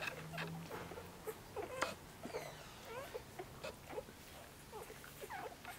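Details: Six-day-old Korthals Griffon pups jostle in Djip's whelping nest seeking breakfast beneath their mother: quick chirpy squeaks and little grunts in an irregular stream, with shuffling and bumping noises.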